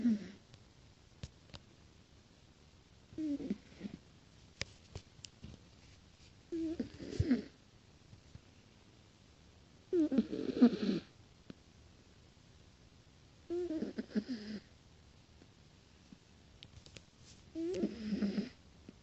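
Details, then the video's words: Sleeping cat snoring: short raspy snores recur about every three and a half seconds, each a brief rough burst with near silence between breaths. "Киця храпит"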